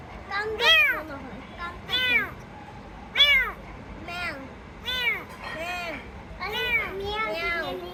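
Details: Rescued kitten meowing: high, arched, harmonic-rich mews, each sharply rising then falling, repeated about every second or so over eight seconds, with a quiet background hum.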